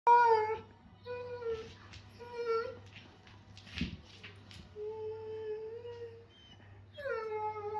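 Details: German Shepherds at play making funny noises indoors: long, tonal whining moans, some level and some rising or falling, with a brief thump midway and a steady low hum beneath.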